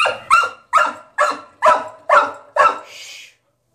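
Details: Caged puppy barking because it wants out of its cage: six sharp, high barks evenly spaced about every half second, then a brief rustle at the end.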